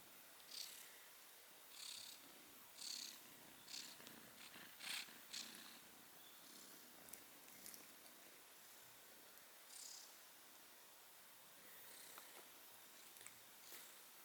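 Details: Soft, faint purring from a female kitten cuddling with her brother, a low breathy rumble that swells in gentle pulses roughly once every second or so against a quiet indoor background.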